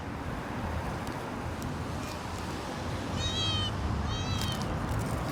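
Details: Street cats, a kitten and her mother: two short, high, harmonic meows about a second apart over a steady low rumble of background noise.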